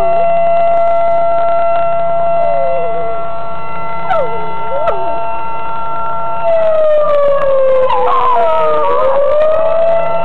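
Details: Razin, a dog, answering a blaring tornado siren with bending howls that dip and climb in pitch, a few short ones early and a longer drawn-out howl near the end, all beneath the siren's constant tone.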